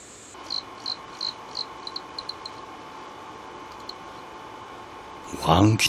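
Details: Emma field cricket in autumn calling for a mate, in a Korean valley nature setting: a series of short, evenly spaced chirps repeated about three times per second, fading out after two seconds, over a steady hum; a loud clatter near the end.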